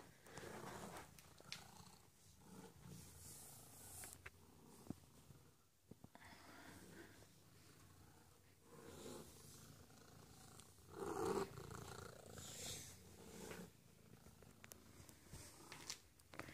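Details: Pet cat Lily, turning on her cute switch at home, keeps up a long, steady, low purring drone with rustling, soft bumps and a louder swell near the end.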